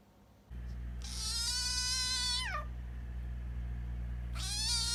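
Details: Abandoned kitten found in late September, meowing for food when hungry: two long harmonic-rich cries, the first stretched and sliding down at its end, the second starting near the close, over steady low background hum.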